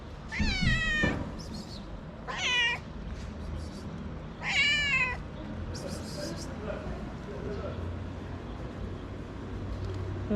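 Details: Hungry homeless street cat in Morocco meowing while sniffing the camera: three loud, drawn-out, wavering meows about two seconds apart, then softer sounds, over steady outdoor street noise.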